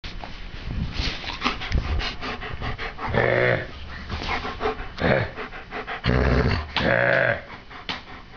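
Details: Pet dog Dempsey growling back in answer to being spoken or growled at, a habit he now uses to get his owner's attention; drawn-out, harmonic growls of about half a second come in bursts, mixed with panting and a person's voice indoors.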